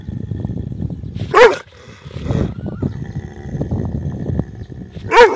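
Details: Big dog giving two loud, separated barks, about four seconds apart, over a background of low rumbling noise.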